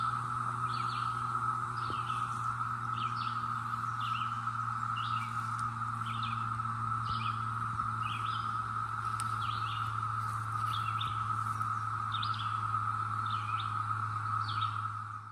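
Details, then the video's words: Seasonal chorus of Brood X cicadas in the North Georgia mountains, summer of their 17-year emergence in 2021: unbroken tonal drone throughout, overlaid by quick chirps recurring roughly every 0.7 seconds, plus a faint low hum and an occasional click. "Tranquil Sounds of North Georgia: Cicadas 2021"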